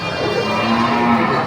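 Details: A cow gives a drawn-out, mournful, crying moo. The bellow is sustained and nasal, with rich overtones, and holds fairly even loudness throughout.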